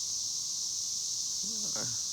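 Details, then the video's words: Cicadas singing beside a young cornfield about to tassel, a constant shrill buzzing drone throughout, with a brief burst of human speech near the end. "El sonido de las chicharras"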